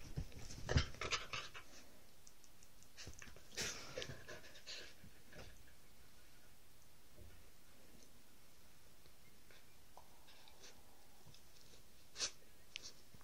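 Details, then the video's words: Two Whippets, three-year-old Roxy and seven-week-old Lilah, playing rough indoors: bursts of scuffling and heavy panting in the first five seconds, then quieter breaths with a sharp click near the end. "Whippets playing rough"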